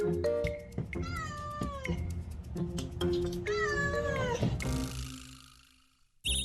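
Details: Stray mother cat living at a macaron cafe in Korea, raising newborn kittens on the cafe roof, meowing toward people when she wants something; several clear, drawn-out falling meows over steady background music.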